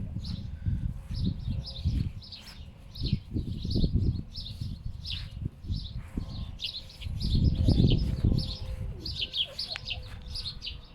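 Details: Two pet foxes rescued from a fur farm grunt like pigs over a bird killed by strong winds, unsure what to do with it; rapid low pulsed grunts come in bursts amid gusty wind rumble, with high chirping birds throughout.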